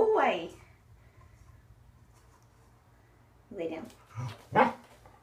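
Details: Corgi named Waffle during an indoor training session with leg-extension and conditioning exercises: a loud harsh bark opens, then after a quiet gap three more short barks come in quick succession, with a person's voice nearby in a small room.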